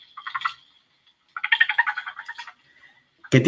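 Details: Frog aggression call from a stream in central Veracruz, Mexico, where many pairs were in amplexus and unmated males tried to dislodge clasping males; a short pulsed rattling burst, then a longer one-second pulse train, a man's voice at the end.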